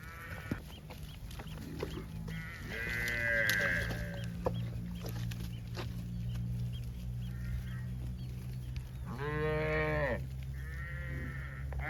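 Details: Herd of cows with calves walking home through drizzle on a countryside pasture at evening; several loud, harmonic moos, some rising and falling, sound over constant rain and a low droning hum.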